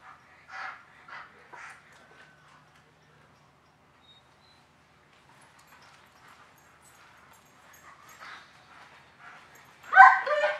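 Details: German Shepherd at a training class on Nov. 10, 2019, during desensitising work for dogs with aggression; a few spaced barks, a quiet stretch, then a sharp, loud bark at the end.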